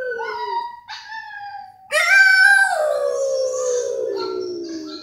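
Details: Howling French Bulldog: an opening whine that steps up in pitch, then a loud, prolonged howl with rich overtones sliding steadily downward over several seconds.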